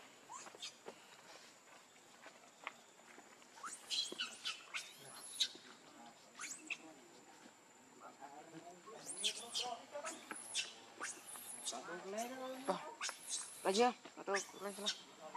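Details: Baby monkey Lucie crying in bursts of high, arching squeals, quiet at first then rapid clustered wails later, mixed with lower voices and soft background chatter.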